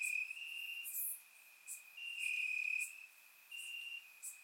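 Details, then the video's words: Crickets in grass chirping through a warm summer night, Bulgaria, captured by surround microphone: piercing continuous trills pulsing on and off in uneven runs, neighbours overlapping, and scattered faint high clicks. "Cricket Sounds - Crickets Chirping at Night"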